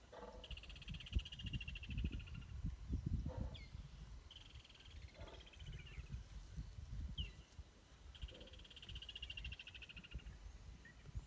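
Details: Low, rough growls from lions in a stand-off, rumbling in uneven pulses almost without pause, with buzzy trilling birds and brief chirps over the top.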